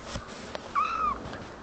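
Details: Young kitten answering its owner's affectionate talk with one short, clear, tonal meow that holds level and then dips slightly at the end. Quiet room hum underneath.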